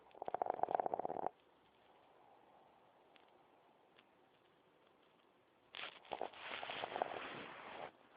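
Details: Lily, a sleeping puppy with her eyes open, snores in two raspy, breathy bursts: a short one of just over a second, then a quiet pause of about four seconds, then a longer, rougher rattling snore.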